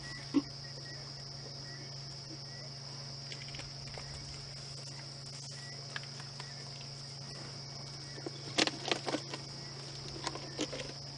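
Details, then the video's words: Cicadas beginning to call in the distance on a peaceful sunset safari drive, 29 September 2016: a steady high-pitched drone runs throughout over a low engine hum, with brief rustling clicks near the end. "You can hear the cicadas starting to call in the distance here."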